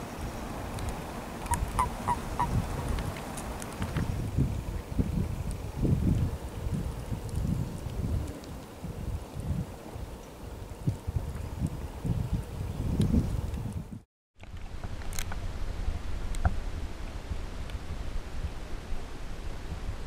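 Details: Common toads (Bufo bufo) during mating in Niepołomice Forest on 2 April 2017: low, grumbling croaks in short pulsed bursts, repeated irregularly, with faint high bird chirps early on and a brief silent gap near the end.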